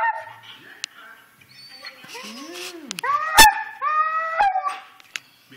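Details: Husky excited before the dog park produces arching, groaning notes that rise and fall, followed by a sharp click and clear sliding howl-like cries, with a person talking to it around the sounds.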